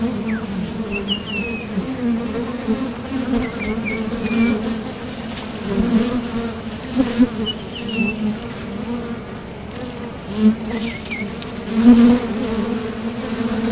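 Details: Low, continuous buzzing of honeybees at the entrance of a top bar hive as foragers depart and land, with several close fly-by swells and quiet chirping birds in the distance.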